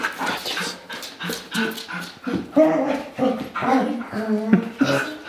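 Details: Female rough collie reacting to a radio-controlled child's toy car, barking at it and wanting to bite it; short, rapid yelping barks and whines in uneven bursts, with spoken narration over them.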